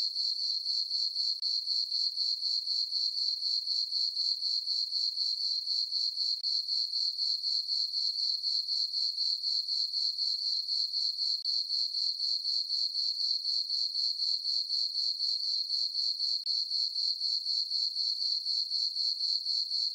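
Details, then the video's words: Crickets chirping on a peaceful summer night in a farm meadow under a full moon: a steady high-pitched trill pulsing about four times a second, evenly repeated throughout, with no other sounds. "Cricket chirping sounds for sleeping"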